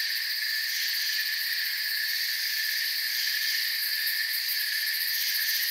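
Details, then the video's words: Crickets in a forest form a dense, unbroken chorus of high shimmering trills in several stacked pitch bands, steady in volume from start to finish, with no other clear sounds. "Forest Sounds and Crickets"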